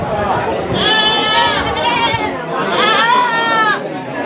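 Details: Goats of the Ketawa breed at Pasar Kliwon Dongko market in Trenggalek, Indonesia, during a morning price check; two long wavering bleats with clear harmonics, heard over constant crowd chatter and talking.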